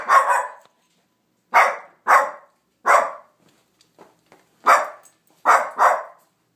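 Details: Domestic dog barking at nothing in bursts: one bark, then paired barks, a single one, and a final pair, roughly seven sharp, harsh barks in under seven seconds with silent pauses.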